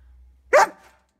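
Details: Ten-month-old German Shepherd during dog training in Virginia giving a single sharp, loud bark after a faint low hum.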